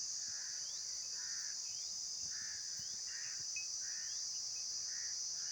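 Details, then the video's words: Outdoor insect chorus: an even, piercing high drone dominates, accompanied by clearer mid-pitched chirping bursts spaced roughly half a second apart and faint short rising slides. "Insects Making Sounds"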